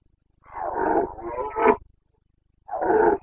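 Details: Rutting Carpathian stag, a red deer of the Bucovina mountains, in the September 2022 breeding season: one long, hoarse, drawn-out roar rising to a peak, a pause, then another sustained guttural bellow.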